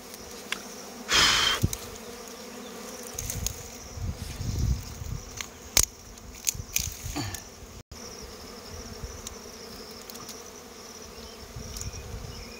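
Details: Honey bees drone on while their comb is taken during a rural honey hunt, the steady buzz interrupted by loud rustling, knocks and a short scraping burst.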